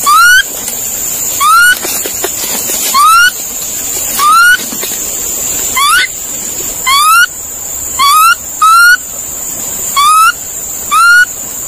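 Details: Monkey calling: short rising whistled notes with harmonics, about twelve spaced irregularly over the stretch, some in quick pairs, over a steady high insect-like drone and soft background noise.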